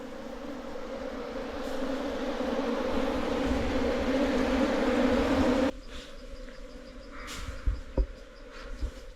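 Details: Hill honeybees from a wild nest dug out of an earthen hole in hilly jungle by a local honey hunter, who moves the colony into a box for beekeeping. A dense, steady low drone fills six seconds, then cuts abruptly to quieter background with faint thuds.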